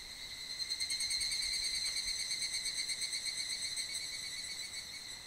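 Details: Mid-July evening, higurashi cicadas filling a valley near Mount Kanmuri, Funo, with their chorus: bright sustained high-pitched ringing, closely layered tones, rhythmically pulsing about three times a second.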